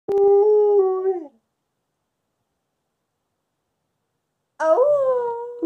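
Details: At night, woken by a siren and led on by its owner's fake howl, a female Wolamute gives long, steady, tonal howls that slide gently downward at the end.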